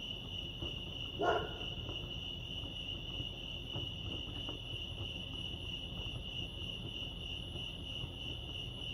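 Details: At Lake Arrowhead in California, crickets keep up an unbroken high-pitched trill at an even level, with one brief, louder broadband thump early on and quiet low background rumble.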